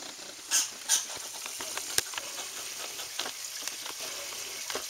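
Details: Angry squirrel giving two harsh squeaky bursts close together near the start, then a long spell of fast irregular dry clicking and sputtering, with constant hissy background noise.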